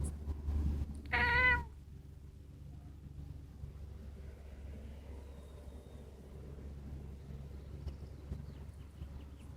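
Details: A British Shorthair cat makes a funny sound on seeing a bird: one short, wavering, mid-pitched meow-like call near the start, followed by a quiet low hum.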